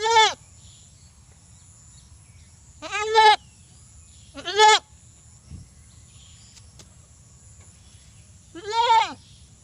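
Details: A desi goat gives four loud, wavering bleats, each about half a second long, with pauses between them.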